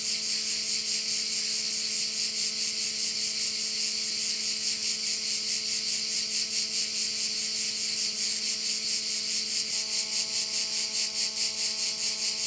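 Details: High, sizzling insect chorus of crickets at a Korčula bay, Croatia, beating rhythmically a little over twice per second and never stopping; a soft constant hum lies beneath.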